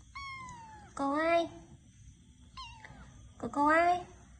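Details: High, clear cat meows, a steady tonal note falling at its end, then louder wavering meows and a short chirp-like call, four calls in all over about four seconds, over soft room noise and faint human voices.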